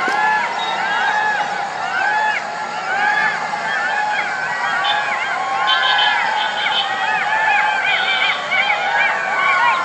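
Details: Night chorus of golden jackals: many overlapping yelping howls arching up and down in quick, curving wails, dense and continuous throughout, with a constant hiss behind.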